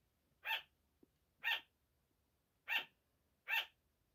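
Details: Sugar glider barking before dawn, a 5 am wake-up call: four bright, yapping barks at irregular gaps, each brief and sharp, over a quiet background with one faint tick.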